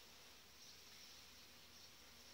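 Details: Strong, well-developed honey bee colony in July, headed by a breeding queen, filled with bees in the hive; a dense, steady low hum sits under a constant broadband hiss with no pauses.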